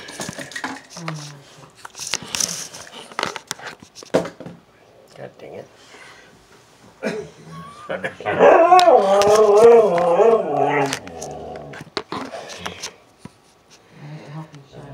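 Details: Siberian Husky protesting its owner going to work, with a man talking and clattering indoors first, then a wavering, yodelling howl with rising and falling pitch for about three seconds, followed by more speech and room noise.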